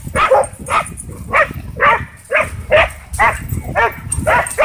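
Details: Excited barking from dogs at a dog park as a DJI Mavic 2 drone sets off a wild frenzy; sharp, clear barks repeat about twice a second, over faint outdoor background noise.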